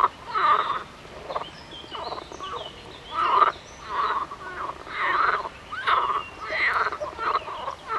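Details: Frogs calling in loud, quacking bursts about a second long, repeated several times, each burst a rough, buzzy croak with a nasal ring.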